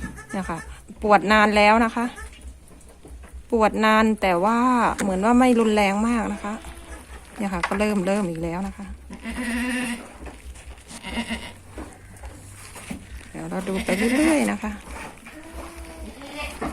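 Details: Breeding goat doe close to giving birth, straining with labour pains after separating from the herd, gives loud wavering bleats in drawn-out bursts with short pauses, while a woman talks between the cries.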